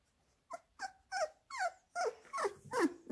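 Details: Labrador Retriever puppies being fed minced beef give a steady run of shrill, downward-sliding whines, roughly one every third of a second, growing louder toward the end.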